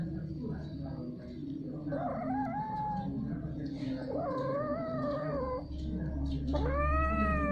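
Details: Domestic cats mating, repeatedly and for a long time: three long, wavering yowls with rich harmonics, each a second or more, the last one rising sharply, over a steady low hum.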